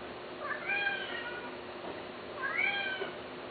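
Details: Cats offered for sale, two clear drawn-out meows about two seconds apart, each bending upward then sliding down, with a soft background hiss.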